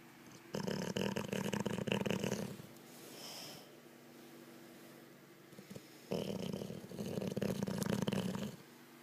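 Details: Snoring from a sleeping Olde English Bulldogge: two long, harsh, rumbling snores, each about two to three seconds long, with a quiet gap and a soft snort between them.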